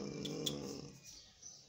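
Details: A 23-day-old Belgian Malinois puppy, one of a tired litter, gives a low, grumbling, growl-like call that quickly fades.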